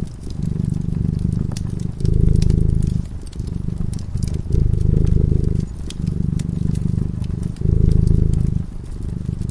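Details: A cat purring as it sleeps in front of a crackling fireplace. The deep, rumbling purr alternates between louder and softer phases every second or two, with sharp crackles and pops from the fire throughout.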